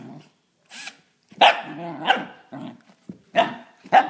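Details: Gus, a Pembroke/Cardigan cross corgi pup aged six months, barks at a new object, a drill: four or five bright, clipped yaps with brief throaty growls between them.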